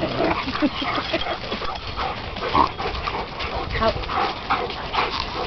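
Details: Puppies playing fetch, giving short sharp barks and yips in quick uneven bursts, mixed with a person's calls and steady background noise.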